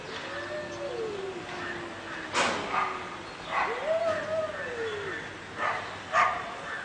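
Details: Cats fighting: drawn-out wavering yowls that rise and fall, interrupted by sharp broadband hissing spits.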